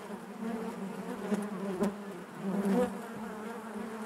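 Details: Honey bees buzzing inside their hive, a steady low drone with a band of overtones, swelling briefly near the middle and again toward the end, with soft clicks and bumps of bees moving against the comb.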